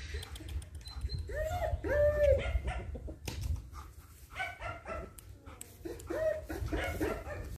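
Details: Female German Shepherd, a young eleven-month-old, producing drawn-out tonal whimpers and yelps that rise and fall in pitch, in three groups, over a constant low rumble.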